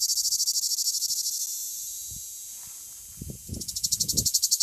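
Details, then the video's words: A male cicada in southern France sings its typical loud, high, hissing buzz, pulsing about four times a second. "Cicada singing"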